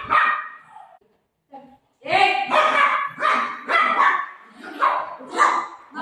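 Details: Playful golden retriever at home with its owner, giving a run of loud, broadband barks about once every half second after a brief quiet gap, mixed with a woman's voice.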